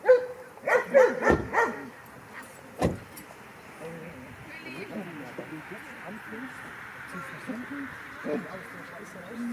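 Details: Kleiner Münsterländer puppy Franzi, 16 weeks old, at her first play session with mostly adult dogs, filmed on a Panasonic LUMIX FZ300. A quick run of sharp barks opens the first second and a half, one more bark follows near three seconds, then human voices and background rumble.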